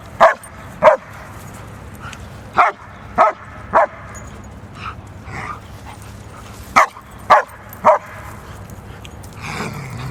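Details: Barking German Shepherd: short, punchy barks, often in pairs or triplets separated by pauses, about eight clear barks plus fainter ones, with a low steady hum underneath.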